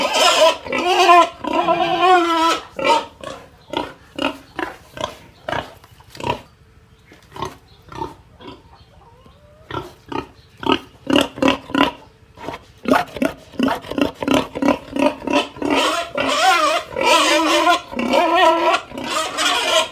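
A pig cries out with shrill, rasping squeals mixed with short grunts, coming in rapid uneven bursts. Longer wavering squeals open and close the sequence, with choppy, clipped calls between them.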